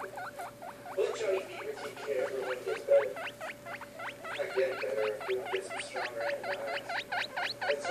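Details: Young guinea pigs squeaking continuously: quick, upward-sweeping chirps repeated several times a second for the whole stretch, with a constant low hum behind.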